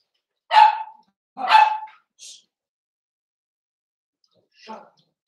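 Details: Blenheim Cavalier King Charles Spaniel puppies, 7 weeks old, one of a litter of five in an indoor puppy pen. Two sharp, clear barks about a second apart, a short high squeak, then a soft yip after a pause.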